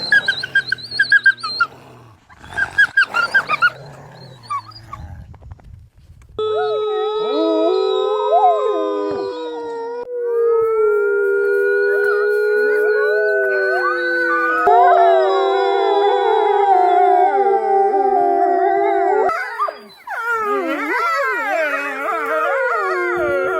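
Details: A wolf pack in Norway, during a fight, gives a few harsh barks, then several grey wolves howl together in long, wavering, overlapping tones.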